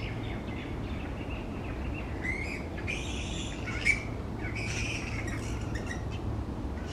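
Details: Grey-headed flying foxes roost noisily in a large colony, hanging upside down among tree branches. Quiet murmuring breaks into harsh, rasping screeches with shrill overtones in short bursts, one sharp peak near the middle, over a constant low hum.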